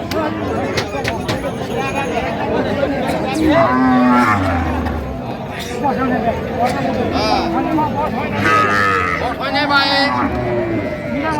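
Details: Cows with calves at the Raniganj haat livestock market in Dinajpur on 4 September 2025: low, drawn-out moos rise from a dense crowd of traders bargaining loudly, with overlapping voices throughout.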